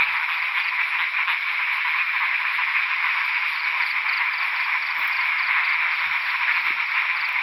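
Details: Frogs, locally called khiat ta pat, calling in the rain at night while being hunted in the wild; a dense steady chorus of rapid rasping croaks fills the air with faint rustling beneath.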